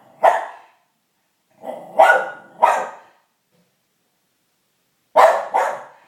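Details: Pet dog barking in reaction to noises from kids playing outside: five sharp, loud barks in two bursts, three close together then a pause of about two seconds before two more, with a quiet background.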